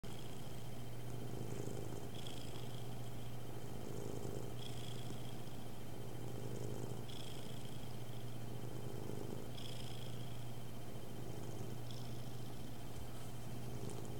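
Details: Indoor cat purring close to a webcam microphone during a recording test; a low, steady rumbling purr swells and fades in cycles about every two and a half seconds over a constant electrical hum and hiss.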